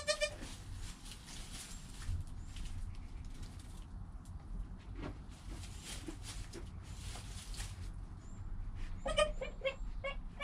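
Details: Goat kid Joel in his first hour of life, filmed on a GoPro next to his mother Penny; a bleat opens the clip, then rustling and low background noise, then a burst of clear, stacked bleats near the end.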